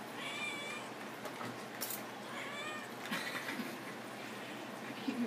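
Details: A house cat answering commands to get off the dining table with two brief meows about three seconds apart, while a person repeatedly says get down and other voices talk nearby.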